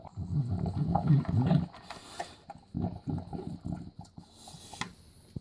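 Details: Six-year-old bulldog eating dry dog food: a dense run of low, wet chewing and snorting sounds, a pause, then further rapid irregular chomps, about four per second, fading near the end.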